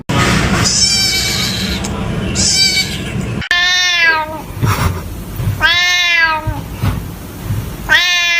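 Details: Kitten making a strange sound: a run of arched, harmonic-rich meows, two faint ones followed by three loud rising-falling ones about two seconds apart, over low background hum.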